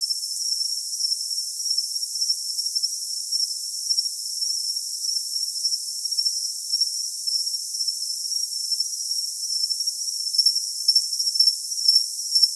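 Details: Cricket giving a steady, high shrill trill that runs without a break, with faint pulsed chirps appearing near the end; no low sounds at all, only the thin high ringing tone.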